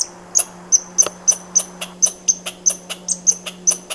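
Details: Rhythmic run of short, piercing squirrel chips with a bright whistled core, about three per second and fairly even in loudness, backed by a quiet constant low drone.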